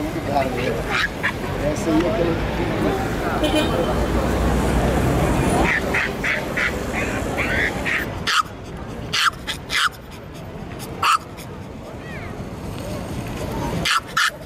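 A Yorkshire Terrier gives sharp, high yaps in short bursts after a stretch of voices and background noise.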